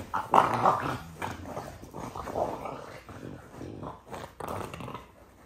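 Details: French Bulldog giving a series of short, gravelly growls and grunts in quick uneven pulses, strongest at the start and again near the end.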